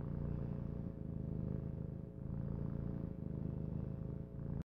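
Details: A female kitten purring steadily and close, a deep continuous rumble that swells and dips about once a second with her breathing, no pauses, and no other clear sounds.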